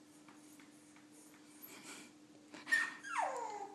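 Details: Milo, a Shih Tzu puppy hesitating at the top of the stairs indoors, lets out faint soft whines. A clearer high whimper then drops into a drawn-out descending cry, with a constant low background hum.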